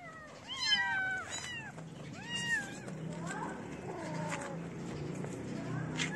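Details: Several kittens of a feral street cat family gather around a person feeding them, leaving their black-nosed mother; a series of high, bending meows overlap in quick succession, with a faint murmur of voices underneath.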